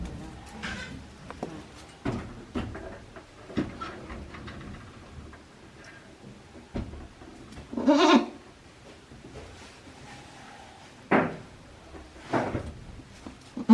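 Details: One-day-old goat kids at a handmade goat farm in Japan, April 17, 2024: a strong bleat near eight seconds and another near eleven, with scattered fainter cries, knocks and rustling between them.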